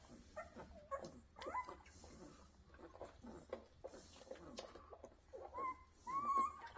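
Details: Rottweiler at a kennel whining: thin, tonal cries that rise and hold, several brief bursts with a longer drawn-out whine near the end, over quiet indoor background and light rustling.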